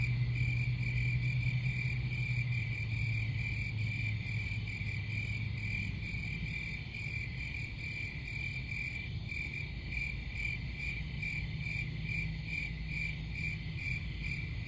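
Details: Steady cricket chirping, a pulsed high trill running without break, with low humming noise in the background.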